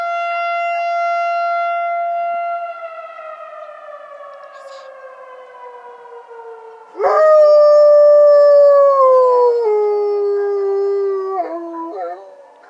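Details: Pet dog Coach responds to a tornado siren. The siren's tone slowly sinks for several seconds, then the dog breaks in with a loud, sustained howl that drops in pitch in steps before fading.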